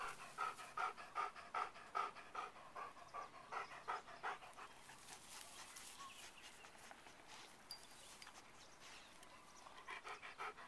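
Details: A pet dog named Beau pants in fast, even breaths during a snack break on a walk. The huffing comes clearly for about five seconds, then fades into quiet outdoor rustling and a faint sharp click.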